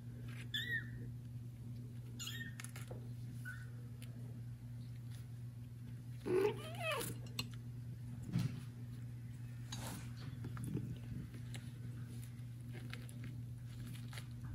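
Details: Domestic kittens separated from their mother cat, meowing loudly to call her; a few short high rising mews early on, a longer bending cry midway, over a steady low indoor hum.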